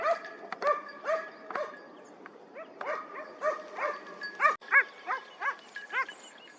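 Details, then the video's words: Hounds baying while trailing a hare on a hare hunt at the opening of the 2023-24 season in Turkey, after a dry summer: rhythmic, rising-falling yelping bays repeated about three times a second, in runs with short pauses. "Kopayla Tavşan Avı"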